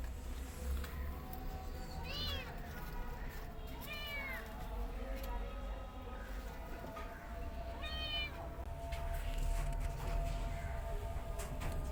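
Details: Among kittens and their mother cat, three short high mews near two, four and eight seconds stand out over a continuous low rumble and background chatter.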